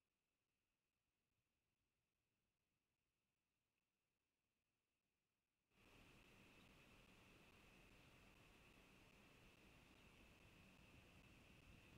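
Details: Faint steady hiss that jumps to loud broadband static with a constant high whine partway through; no animal calls.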